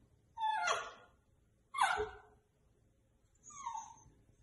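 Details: Pet dog urged to "speak" as a person sings "If you're happy and you know it" indoors; three short harmonic barks with a falling pitch, a second apart, then a softer third bark.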